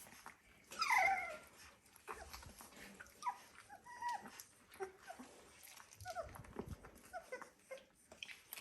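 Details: Dalmatian puppies, 17 days old, indoors in a pen with more room: thin, squeaky whimpers slide up and down in short bursts, loudest near the start, then scattered repeats over several seconds, with soft rustling and faint voices.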